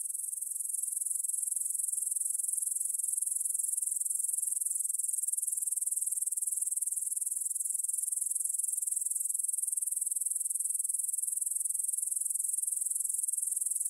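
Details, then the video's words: Evening field chorus of grasshoppers near Bryansk's Svensky monastery, Russia, recorded at 9pm on 6 September 2020 with a Tascam DR-44WL in stereo. A continuous high-pitched, hissing trill stays even and unbroken throughout, with no other sounds. "Звук для сна: кузнечики на лугу – Grasshopper Sounds in the Field"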